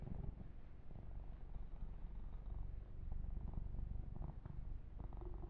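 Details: Young domestic cat purring while massaged, an uneven low rumble with soft handling clicks scattered through.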